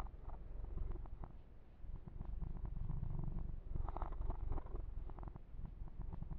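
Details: Male kitten Yumak during a massage, a low rumbling purr beneath dense rustling and scratching of fur being stroked, with brief crackling bursts of handling noise.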